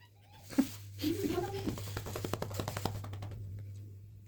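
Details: Cat getting a massage indoors gives a short low meow followed by a longer wavering meow, with a steady low electrical hum of a massager underneath and rapid clicking taps.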